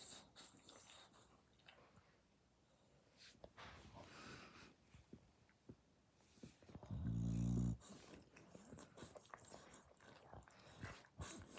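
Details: A pet dog named Dasha asleep indoors gives one loud, low, rumbling snore near the middle, with softer breathing and small rustles around it.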